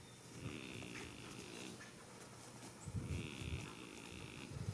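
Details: Goat snoring while asleep in a field on the first day of spring: low, rough, rasping breaths in uneven bursts, louder toward the end, with a faint steady higher tone and occasional light background noise.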